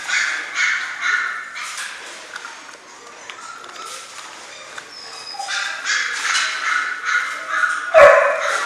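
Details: Six-week-old German Shorthaired Pointer puppies from a litter, giving a jumble of overlapping high whines and yelps, some bursts rising and falling, with quieter gaps in between and a sharp yelp near the end.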